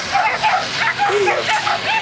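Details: Whippets at a race in Helsinki on 30 June 2007, heat 18: high, quick yips and barks repeat several times a second beneath continuous Finnish commentary over the loudspeaker and a noisy background.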